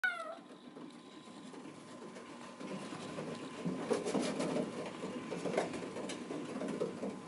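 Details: A Bengal kitten in the kitten room, seeing the person outside the screen door while littermates play on the cat wheel, bawls with a short, high, falling meow, wanting to be let out.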